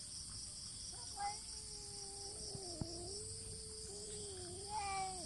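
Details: Two cats fighting with meows only, no touching: one low, sustained, wavering yowl drones through the whole stretch, with brief higher cries at the start and end. A persistent high insect-like buzz and a sharp tap are also heard.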